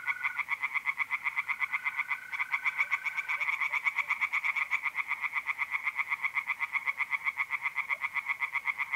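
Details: Night-time tree frog song from a north-east Italian pond in April: a dense, steady run of loud clacking croaks about four per second, with a mole cricket trilling steadily during the first few seconds.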